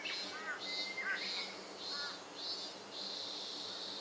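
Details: Robust cicada singing on August 4, 2025: a high buzzing drone that pulses on and off roughly every half second, with short arched bird chirps and a thin whistle mixed in.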